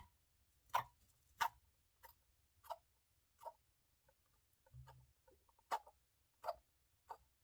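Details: A male pet hamster with an infection, probably a cold, makes short, sharp clicking or sneezing noises about once a second from his house in the cage in the morning.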